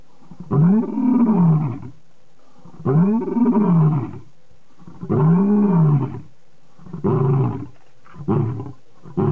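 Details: Lion roaring, three long arched moans followed by shorter grunting roars, deep and rising then falling, spaced about two seconds apart in a quiet setting.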